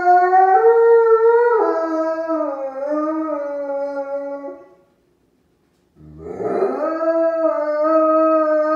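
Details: Wolf howling, a long smooth harmonic tone that steps down in pitch and fades, then after a short silence a second howl swells upward and holds steady.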